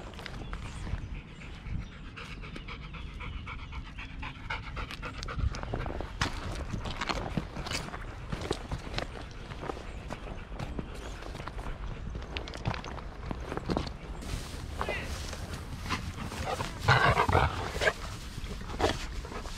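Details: Golden Retrievers, seven dogs from a mother nearly eleven to two-year-olds, out on a walk on 25 March 2021; rapid breathy panting at about three to four breaths a second, with rustling and footsteps throughout.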